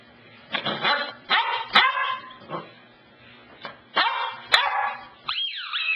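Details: Cassidy, a household dog, barking at the couch in short, scattered bursts about a second apart, closing with a high, sliding whine. A few faint clicks sit between barks.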